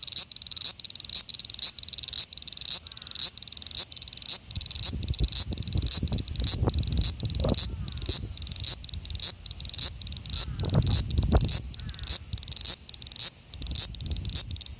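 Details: Male large brown cicada (Graptopsaltria nigrofuscata) recorded on a phone in Osaka, Japan, on 5 August 2019: rapid sizzling pulses repeated almost twice a second, with low rumbling background noise in the middle.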